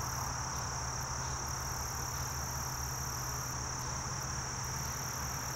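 A short-winged meadow katydid sings a thin, steady, very high buzz over a low background rumble.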